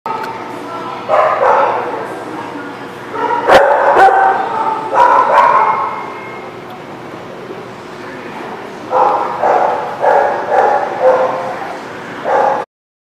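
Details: Dogs at a place called the Barking Lot, recorded on 14 December 2019; bursts of overlapping barks and yips in two clusters, a sharp clap-like knock near three and a half seconds, steady background hum.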